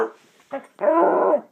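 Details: Household pet dog howling, described as "singing", on command: a brief yelp, then a sustained, steady, tonal howl of about two-thirds of a second with rich harmonics, in a quiet room.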